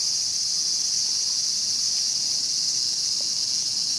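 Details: Cicadas at Showa Kinen Park, Tokyo, in 2020, where a mantis was eating a cicada: a steady, dense high-pitched buzzing drone holds unbroken throughout with no other clear sounds.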